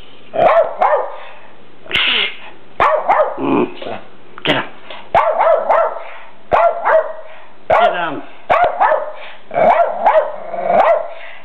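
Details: Rat Terriers Graci and Princess, who dislike their new red deer buck companion, barking in a steady run of sharp, rough barks with brief growly edges, with people talking in the background.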